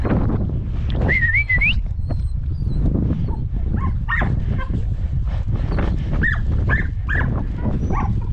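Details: Podenco hunting dogs working a rabbit hunt: a human whistle early on, then a string of brief high yelps and barks amid strong wind noise.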